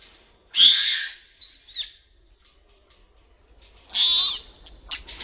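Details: Baby Asian macaque, trapped, crying and calling for help while extremely scared: two loud, high-pitched shrill screams about three seconds apart, with a fainter wavering squeal between them and short sharp squeaks at the end.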